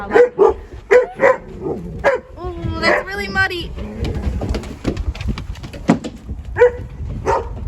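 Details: Shepherd puppies in a vocal pack at play. A run of short, sharp barks opens, followed by a long wavering whine. A woman's voice tells them not to play too rough and remarks on the mud.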